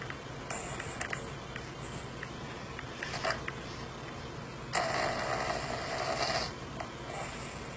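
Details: Snoring dog, which reacts with surprise to the sound of its own snoring: scattered soft scrapes and sniffs, then a long, harsh, buzzy rattle lasting nearly two seconds before fading back to low background hum.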